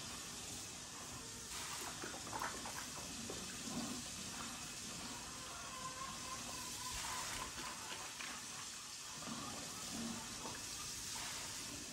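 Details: Steady rushing water noise, like running water, fills the recording along with faint speech and no audible animal sound.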